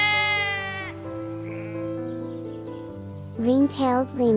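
A sheep gives two or three quavering, wavering bleats near the end, over steady background music and a spoken word.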